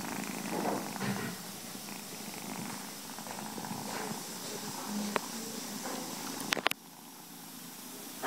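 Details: A nursing mother cat with her kittens purrs in a low continuous rumble, masked by hissy background noise, with a few faint squeaks and sharp knocks near the end.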